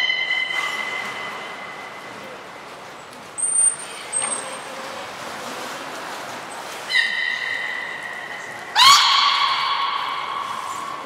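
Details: Beluga Gray, Mirai or Nico in training at Port of Nagoya Public Aquarium, December 16, 2018; long steady harmonic whistles with rising sweeps and a sudden loud upswept squeal near the end, with pool noise.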